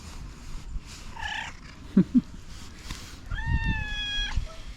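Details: Domestic cat, angry at another cat and slapping at a person, gives a short wavering cry followed by a long, flat, steady meow of about one second. Thumps and background noise are audible.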